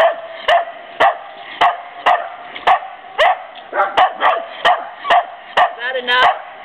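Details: Bedlington Terrier at playtime in Woodland, California, on 15 November 2009, giving short yipping barks roughly twice a second, interleaved with sharp tapping sounds, ending in a wavering whine-like cry.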